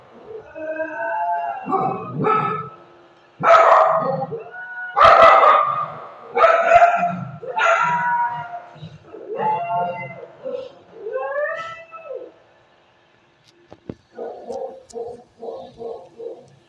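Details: A Shih Tzu howls in reply to another dog's bark, giving a series of warbling, drawn-out, dinosaur-like howls that end in short, rapid yips.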